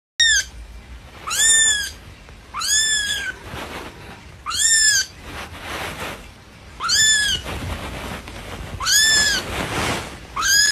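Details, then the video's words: Little kitten crying for its mother: loud, high, arching mews with bright harmonics, each under a second, repeated about every two seconds with quieter breathy rustle between calls. "A little kitten cries for its mother"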